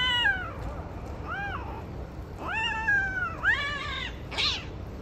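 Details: Mating Siamese cats with an Arabian cat give a string of drawn-out, bending yowls and meows, some rising then sliding down, five or six cries in quick succession over constant low noise.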